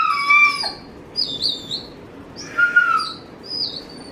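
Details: Dobermann waiting eagerly for its owner to come home, giving high squeaky whines that fall in pitch, in four short bursts spread over a few seconds of quiet room.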